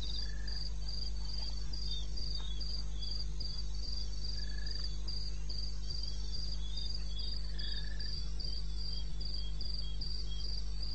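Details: Crickets in eastern Botswana wilderness, 02:30 on 21 May 2016. A shrill, evenly pulsed chirping runs throughout, while a short lower whistled note appears three times, spaced a few seconds apart, over a steady low hum.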